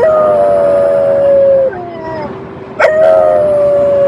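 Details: Ugo, a French Bulldog billed as a talking dog, holds a long level howl that drops off abruptly, pauses with a soft lower note, then resumes with another steady drawn-out howl.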